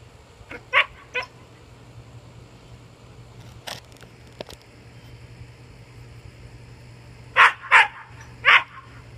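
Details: A German Shepherd–Siberian Husky mix barks when its owner is out of sight, giving sharp, loud barks mostly in quick pairs separated by irregular quiet pauses.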